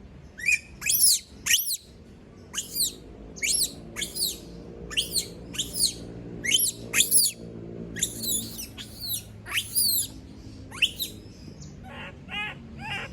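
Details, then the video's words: Female monkey screaming on being left alone: about fifteen high, piercing screams repeated briskly, then lower, pulsed calls at the close, over a steady low background hum. "Sound of monkey berlin scream when all leave her alone, monyet berlin berteriKmak sendirian"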